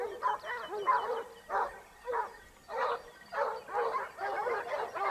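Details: A pack of Topsfield Lebrera Basset Hounds in Spain, in their second hunting season of 2015-16, bays while hunting: overlapping, irregular bark-howls of mid pitch, roughly ninety-five a minute, with several voices blending.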